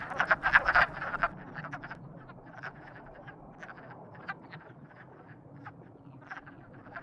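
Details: Frogs described as in love open with a quick run of loud, harsh croaks in the first second, then fall back to sparse, fainter clicking croaks over a quiet hum.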